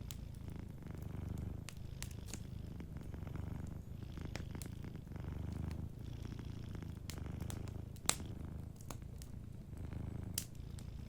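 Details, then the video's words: Sleeping cat purring softly beside a warm fireplace: a steady low rumbling purr swelling and easing with each breath, broken by sharp crackles and pops from the fire. "Warm Fireplace Ambience with a Sleeping Cat 🐱💤Fireplace & Soft Purring"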